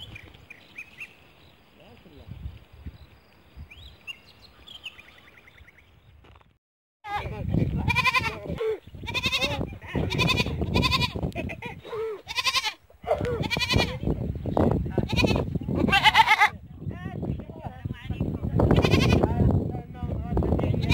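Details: Goats in a barn bleating loudly after a quiet start: harsh, wavering bleats with strong harmonics, repeated in quick overlapping bursts, several voices mixing, with low rumbling background noise.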